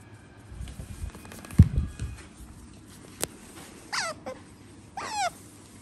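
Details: Pet otter kept indoors with a cat, vocalising while wanting to dress up in a scarf: two short, bright, falling squeaky chirps late on, after low thumps and handling noise.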